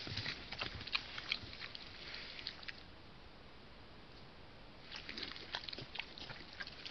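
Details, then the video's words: Piglet of wild boar nursing at its sow, giving bursts of quick smacking clicks and faint grunts at the start and again near the end, separated by a quiet stretch of hiss. "Marcassin qui tète laie"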